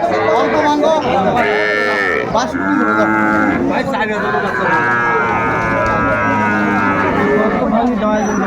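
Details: Sahiwal bull calves at Ambari cattle market, Bangladesh, 18 May 2024, as a farmer from Barishal buys. Drawn-out harmonic moos overlap, with bargaining voices and crowd chatter throughout the busy market.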